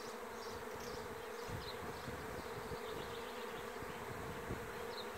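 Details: Honey bee swarm recorded on 27 May 2016 in Lithuania: a dense, steady low hum that never breaks, with scattered faint high chirps of birds in the background.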